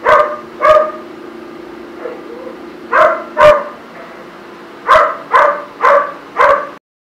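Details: Young poodle at its first proper grooming, barking in short sharp yaps, about nine in seven seconds, some in quick pairs, over a constant low humming background.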